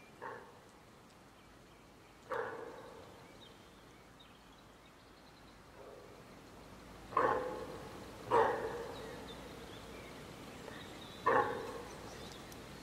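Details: Deer hind calling for her calf after a group of wild boar came between them, the sows making mock charges at the calf; six short, nasal calls at uneven gaps of one to five seconds, several clearly louder, over a quiet outdoor background.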